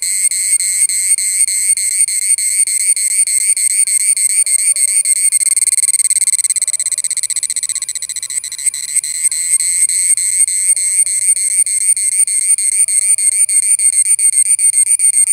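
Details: A cicada in India gives a loud, shrill, high-pitched buzz that pulses steadily about three times a second.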